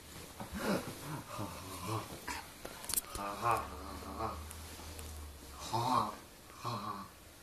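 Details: Leeloo, a seven-month-old Dobermann being super silly indoors, gives a string of wavering, moaning whines and grumbles with rich harmonic tones, some rising then falling, in irregular bursts across several seconds in a small room.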